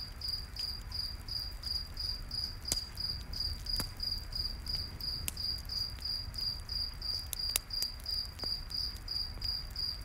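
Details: Crickets in a night forest beside a campfire: a steady train of high, even chirps about three per second, with sharp crackles and pops from the fire and a low rumbling hum underneath.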